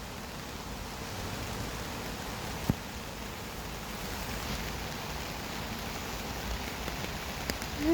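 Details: Steady rain patters on a surface during a rainy-day dog walk, with a brief sharp click and faint distant voices.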